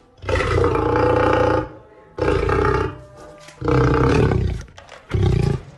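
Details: Lion (Panthera leo), roar.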